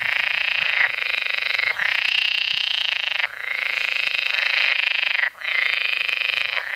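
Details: Green frogs (water frogs) singing as a loud, continuous chorus of harsh, rapidly pulsed croaking rattles, broken by brief dips around one, three and five seconds; no other sounds stand out.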